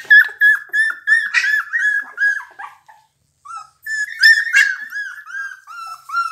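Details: Pit Bull dogs of an unusual colour, whimpering indoors. High, thin whines come in quick bursts of about three per second, break off in a brief silence, then resume more loudly.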